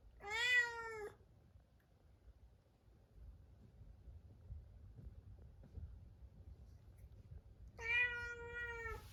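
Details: Isolated before neutering surgery, Munchkin cat Chabo cries out with two loud, steady, harmonic meows about seven seconds apart, quiet indoor background between them.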